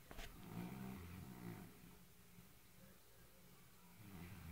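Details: Fat white male house cat asleep and snoring loudly: low, rasping, droning breaths, the strongest in the first two seconds and again near the end, over a steady indoor hum.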